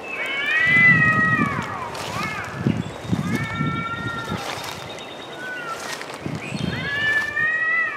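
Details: Cats arguing in the woods: repeated harmonic yowls rising and falling, interleaved with low growling rumbles and some rustling between calls.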